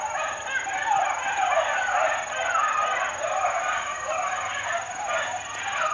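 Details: Four-month-old Beagle pups at work in the wild, giving a dense, continuous chorus of overlapping bays and yelps that rises and falls without pause, with a steady high-pitched whine in the background.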